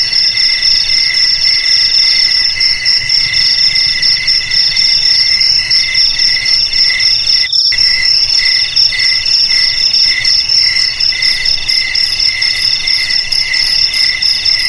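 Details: Shrill, unbroken cricket trilling with rapid pulses in high stacked tones, broken by a very brief cut-out midway, then resuming at the same steady pace; nothing else audible.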